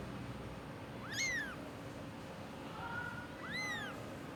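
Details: Kitten left to die in the snow at -11°C for two days, then rescued: two plaintive, arched high meows a couple of seconds apart, with a faint softer tone between them and constant low background noise.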